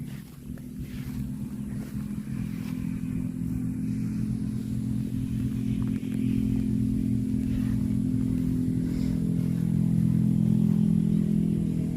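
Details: Steady low engine rumble, like a motorcycle or vehicle idling and revving outdoors, fills the whole recording with no animal voice standing out.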